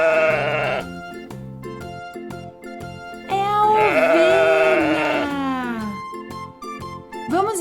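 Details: Sheep bleating, played for children to guess on a farm-animal learning programme: a long wavering, quavering bleat of about two seconds with rich harmonics, set over steady background music.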